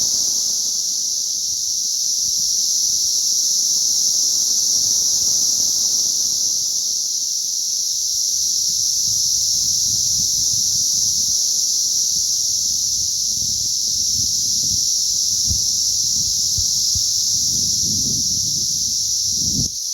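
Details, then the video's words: Hatching cicadas, May 20th 2034, sustain a shrill, unbroken chorus at high pitch for twenty seconds, with low rumbling and rustling growing in the second half and a thud at the close. "ATTACK OF THE CICADAS"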